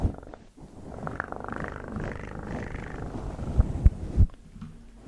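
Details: Deep, breathy cat purr, very low and rumbling, rising to a louder airy phase midway before fading, with a couple of soft thumps near the end.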